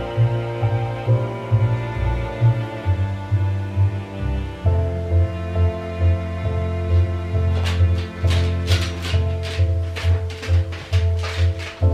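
Gentle background music with sustained low tones and soft percussive taps; no animal voice is heard.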